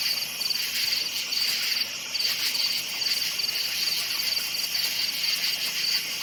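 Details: Crickets in a night forest chirp in quick high pulsed bursts roughly every half second, with a constant hissing insect chorus behind them.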